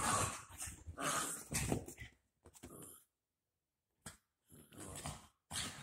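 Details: Dachshund puppies at play after a bath: two seconds of dense growling and snarling, a pause, then scattered short growls and scuffles.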